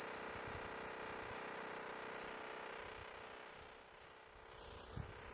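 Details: Loud Northern hump-winged grig: an unbroken, piercing high-pitched trill sustained at an even level throughout, with soft low thumps and a faint sweeping tone near the end.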